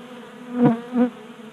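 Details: Honey bee flying close past a 3D-printed feeder in a Colorado garage in January; two short swelling buzzes, the first louder, over a faint background hum of other bees.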